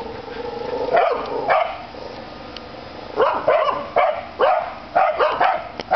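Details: Corgis bark in short, sharp bursts, several in quick succession, at a grey and white cat standing on the other side of a fence.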